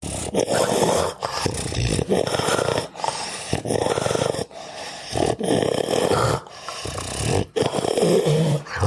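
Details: Sleeping, deeply relaxed pet dog snoring loudly indoors, with rough, raspy grunting and snorting breaths in a steady rhythm, about one snore burst every second, each separated by a short quiet gap.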